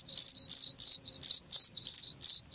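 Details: Several quick, piercing cricket chirps, each a short buzzy trill separated by tiny gaps, from a recording intended to repel rats.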